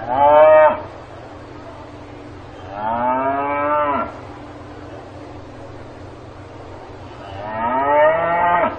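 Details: Repeated lowing of a cow on a farm: the tail of one moo, a full rising moo near the middle, and another starting at the end, spaced several seconds apart with quiet low hum between calls.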